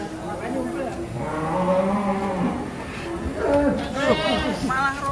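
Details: Raging bull being unloaded from a truck as its handler works to calm it; deep, drawn-out lowing moos rise and fall beneath overlapping human voices and chatter.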